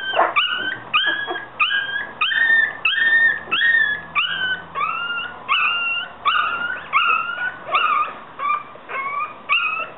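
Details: Yorkshire Terrier. Several Yorkshire Terrier puppies keep up a run of high, reedy whines and yelps, each bending up or down in pitch. The cries come roughly every half second to a second, overlapping now and then.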